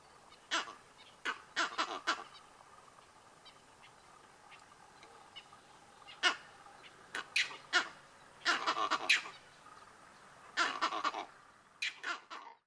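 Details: Monkeys alarm calling after seeing lions about 100 m away: sharp, harsh barking calls in irregular bursts, some single and some in quick clusters of three or four, over a faint steady background hiss.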